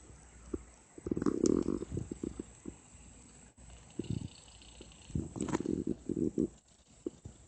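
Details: Sleeping cat letting out odd snores: rough, breathy bursts with a low, rumbling buzz, one long snore near the start, then a gap and a stuttering run of short, pulsing snorts, over a quiet room hiss.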